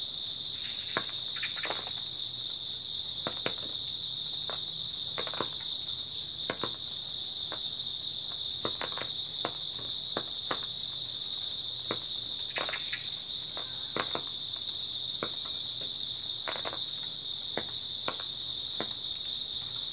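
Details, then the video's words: Early autumn night chorus of grass insects: a steady, piercing, high trilling wall of sound, unbroken for twenty seconds, overlaid by irregular sharp clicks and taps every second or two. "초가을 밤부터 새벽까지 백색소음 풀벌레 소리"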